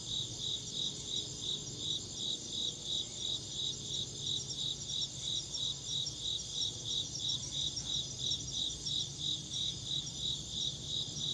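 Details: Rhythmic insect chirping, high and shrill, pulsing steadily about three times per second throughout, layered over continuous high hiss and a soft low hum.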